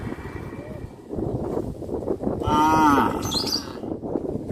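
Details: Village cattle roaming the streets of a traditional farming community: one loud, half-second moo with a rich, slightly falling tone stands out over steady rumbling background noise.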